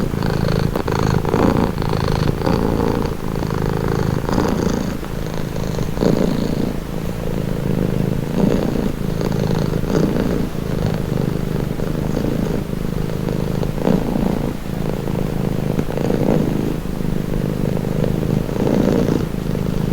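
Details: Relaxing cat purr: a deep, grainy rumble pulsing in slow regular breaths, unbroken from start to finish, with soft faint clicks over it.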